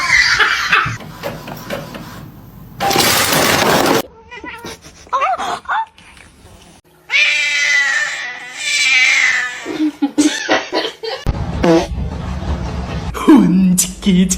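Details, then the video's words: Domestic cat in a cat fight, yowling with a drawn-out wavering caterwaul lasting about two and a half seconds midway, between bursts of human laughter, screaming, shouting and music, with sharp bangs and clatter. "Cat Fight"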